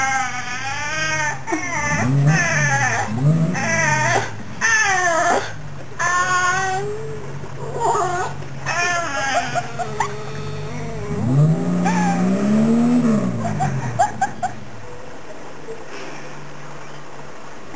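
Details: Fox Terrier cross named Lassie, aged 9-10, vocalising at her owner in bursts of bending, moaning whines separated by short pauses, with a longer low howl-like phrase near the end. A man's voice asks if she wants to come inside.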